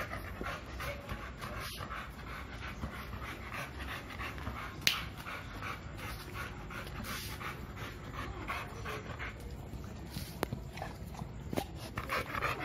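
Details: Milo, a two-year-old American Bully wanting to play, panting in a steady run of soft breathy puffs, with a few sharp clicks and taps scattered through.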